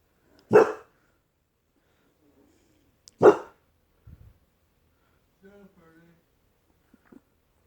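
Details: Sleeping puppies making soft noises: two short, sharp yelps about three seconds apart, followed by faint low whimpers and small squeaks near the end; a person speaks softly just before.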